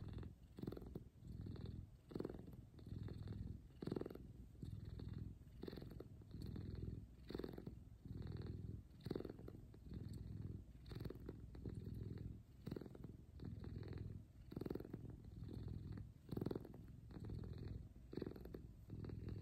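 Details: A big F2 Savannah cat cuddling with its owner in the morning purrs loudly and steadily, a deep low rumble swelling and easing with each breath.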